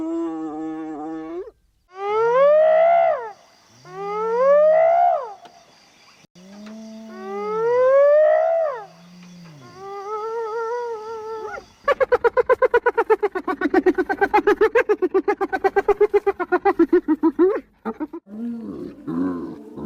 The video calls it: Hyena Sounds (10 Minutes) – Hyena Calls